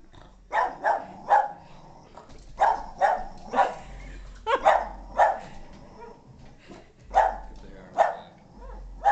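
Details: Boston Terrier named Moxie reacting indoors to a ball-jointed doll's first living-room visit, barking in clusters of two or three rough, mid-pitched barks, roughly every second, with a low room murmur underneath.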